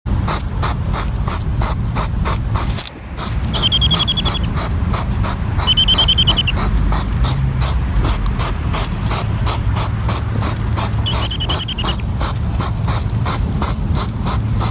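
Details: On a summer night in a garden, a foraging European hedgehog (Erinaceus europaeus) sniffs rapidly in quick, breathy, almost mechanical puffs, repeated several times a second like a tiny engine.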